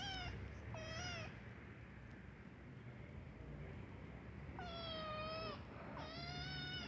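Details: Kitten meowing because it needs to poop: two pairs of clear, tonal meows, each slightly falling then level, one pair at the start and one near the end, with a quiet indoor background.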